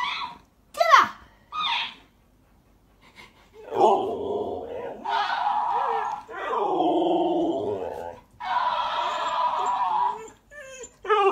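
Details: A female Alaskan Malamute gives long, wavering, talkative howls, "arguing" with a talking toy hamster whose squeaky, high-pitched voice answers her.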